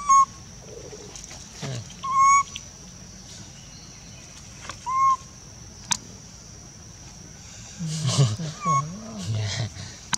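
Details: Tiny monkey crying as it runs around looking for help: brief tonal cries that arch up and down, repeated several times, then low wavering groans near the end over a steady background hum.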